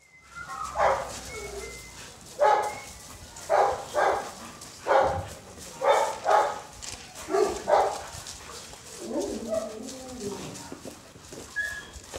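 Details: Rottweilers and a Doberman barking while wanting treats: a run of about ten sharp, mid-pitched barks spaced roughly a second apart, then softer whining yips at the end.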